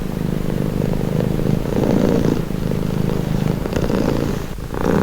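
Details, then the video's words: Cat purr, calming and relaxing: continuous low, buzzy rumble that swells and eases in long breaths, with a brief soft click near the end and nothing else heard. "Purring cat"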